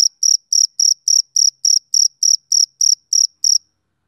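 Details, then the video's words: Twelve crisp, high-pitched chirps from a male cricket on a summer evening, evenly spaced about a quarter second apart, then silence. "Cricket Chirping Sound Effect"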